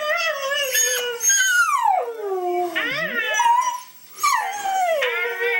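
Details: A pet dog, Louie, vocalizes while watching videos of Mishka the talking dog: harmonic yowling calls sliding downward, with bursts of higher wavering tones and a brief pause near the fourth second.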